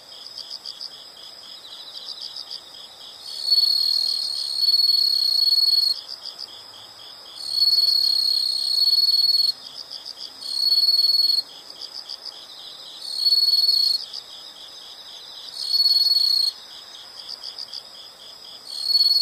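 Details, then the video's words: Insects calling: steady high bursts about two seconds long, repeated every two seconds or so, over a constant background of fast, pulsed high chirping. "the sound of insects"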